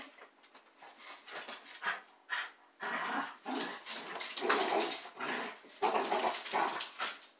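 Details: Two young female dachshunds indoors whimpering as they wait for their owner, who is working in the basement; breathy, scratchy bursts of sound come in irregular runs, some short and clipped, others longer and noisier, with brief pauses between.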